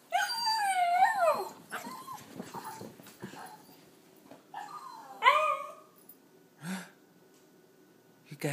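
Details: Havanese dog named Teddy, one of two dogs watching their owner pull into the driveway, giving excited howl-like vocalizations that sound like "it's Mama": a wavering, bending two-part yowl, then a second rising-falling one after a pause, with people talking excitedly.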